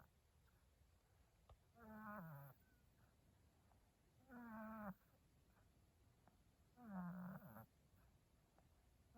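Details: Sleeping cat snoring; three drawn-out, rasping, falling snores about every two and a half seconds, with quiet breathing between and a faint steady background hiss.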